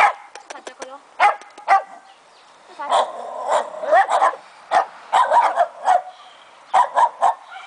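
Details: Fox Terrier puppy named Keno, two months old, giving short sharp high yips and barks in irregular bursts, some doubled or tripled, with pauses between; a person talks to it in Romanian in the background.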